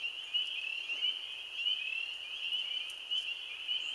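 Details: Spring peepers giving their first chorus of spring on April 15, 2013: many high, shrill peeps merge into a steady ringing band, with a few clearer individual peeps popping out every half second or so.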